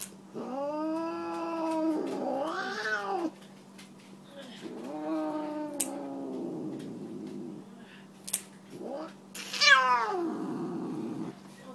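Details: Indoor Siamese tabby cat unhappy about a nail clipping, giving a series of drawn-out moaning meows and yowls that bend up and down, with clicks and handling sounds between calls.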